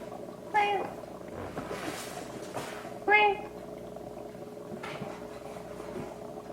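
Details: Kitten of about four weeks being helped to defecate by a person dabbing with warm wet tissue; two short high mews about two and a half seconds apart, with handling rustle in between.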